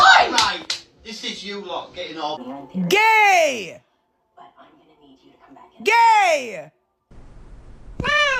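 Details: Cat in a funny TikTok compilation, meowing three times: drawn-out arched meows rising then falling, spaced about three seconds apart. Before them come chattering voices and slapping sounds, with near silence between the calls.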